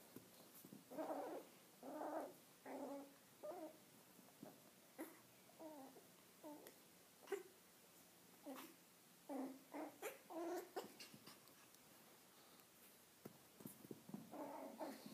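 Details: Nine-week-old male Cavalier King Charles Spaniel puppy growling intimidatingly while playing with a ball indoors; repeated short throaty growls and grumbles in irregular bursts, some clustered rapidly, with light knocks between.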